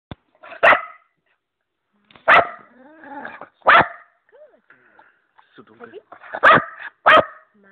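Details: An Old English Bulldog named Peggy gives loud, throaty two-part vocalizations that sound like "mama."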